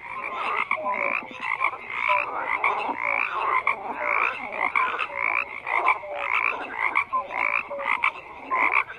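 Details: Many frogs croaking together in a dense, continuous chorus: overlapping rasping croaks and rattling pulses, with short clear piping notes dropping in every second or so and no pause in the din.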